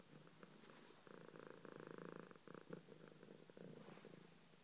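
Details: Domestic cat purring close up, a steady pulsed rumble that swells into long continuous stretches with brief pauses between breaths, in a quiet room.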